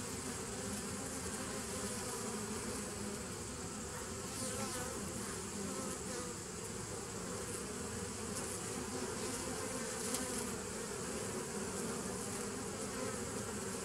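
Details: Bees recorded on 27 September 2018, a dense continuous humming drone with steady low bands and faint higher overtones, unbroken for the whole stretch.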